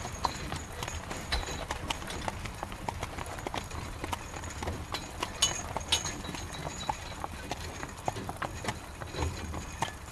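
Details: Carriage horse trotting through rain, its hooves producing a long run of regular clip-clop knocks, with faint whistling squeaks from the carriage above a steady rain and road rumble.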